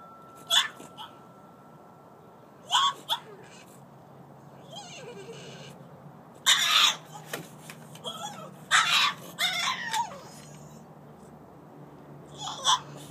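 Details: French Bulldog named Collette left outside alone and wanting to come in, giving short high whines and yips in scattered bursts with quiet gaps between them.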